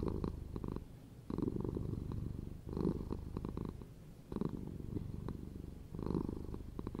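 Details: Deep rhythmic purring of a domestic cat, rumbling bursts swelling and fading with each breath, roughly five strong pulses spaced one to one and a half seconds apart.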